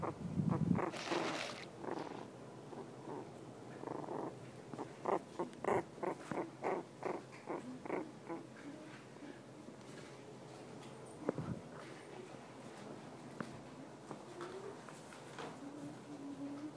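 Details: Havanese puppy, female, grunting as she drifts off to sleep: a run of short soft grunts about three per second, mostly in the middle, tapering into quiet breathing and a few faint squeaky whimpers.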